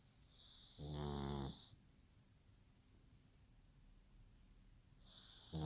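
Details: Pug snoring like a person: a hissing breath leads into a deep rattling snore, a quiet pause, then another snore beginning.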